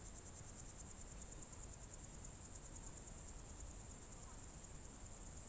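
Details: A June evening chorus of crickets in the Novye Buregi tract, Novgorod Oblast, Russia, recorded in 2023. A continuous high-pitched trill pulses quickly at the start, then holds steady over a low background hum.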